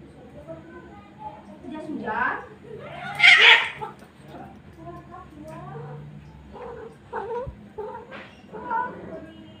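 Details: Free-roaming village cats, two males and one female gathered together, yowling in a courtship quarrel: wavering, drawn-out moaning wails rising to one loud strained cry, with people chatting nearby throughout.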